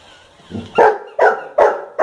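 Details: Bubbles, a pet golden retriever, reacting to a Hamleys toy: a low rumbling onset, then four sharp, loud barks spaced roughly every half second, each short and punchy with a quick fall-off, against a quiet background.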